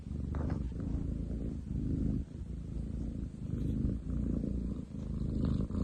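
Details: Loud purring from a long-legged male munchkin cat, recorded 30 July 2023: a deep, rumbling low purr in long pulses about a second each, with brief dips between breaths, steady and coarse like machinery.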